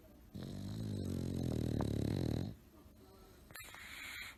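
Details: Tired bulldog asleep during a nap, giving one long, loud, low rumbling snore with a buzzy harmonic drone lasting about two seconds, then fading into quiet room noise.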